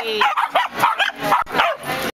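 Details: Dog at a dog parade giving a run of short, yelping barks and yips, several in quick succession with falling pitch, while people's voices talk nearby.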